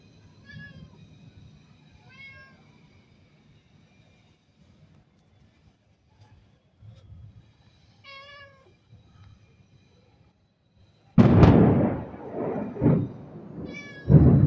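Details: Domestic cat on a rainy day meowing: four short, clear, tonal meows, the first two close together, then a pause before two more, with a loud rumbling burst of noise shortly before the last.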